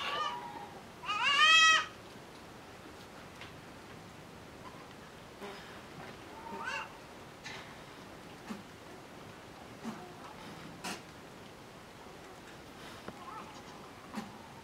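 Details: Five-month-old miniature goat kids discovering mating on a farm; one short, loud, wavering bleat in the first two seconds, then a quiet background with faint scattered clicks and rustles.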